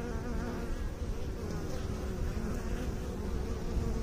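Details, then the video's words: Bees buzzing in a steady, dense low hum with layered harmonic bands, an even drone that holds without pause for the whole stretch. "Bee song"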